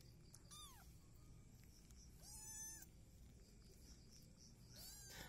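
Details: Mixed Peaknose and Javanese kittens at breakfast in a village home: three short meows, two falling and one level, spread over five seconds against a steady background hiss.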